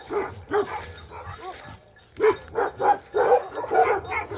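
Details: Bhote Kukur dogs in Nepal bark at a suspected leopard or wild boar nearby: short, mid-pitched barks come in loose bursts with a brief pause in the middle.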